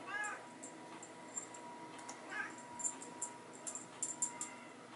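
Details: Bengal kittens at play with a teaser in a hallway alongside their mother; two short, wavering meows, one at the start and another near the middle, between bursts of high jingling and rattling from the toy.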